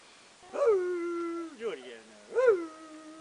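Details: A gray wolf at a wolf center in Golden, British Columbia, Canada, howls, a rich tone that jumps up, then drops and holds low and steady; the wolves may be answering wild wolves up the valley.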